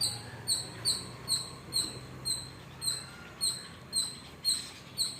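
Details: A squirrel gives sharp, high chirps, repeated steadily about twice a second, calling near a house where sparrows are also around, running off as the person approaches.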